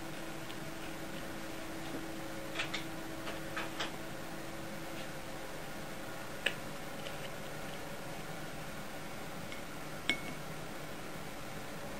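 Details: Quiet indoor hum with a few soft clicks and taps while a cat named Yukke waits at mealtime, with no animal calls heard.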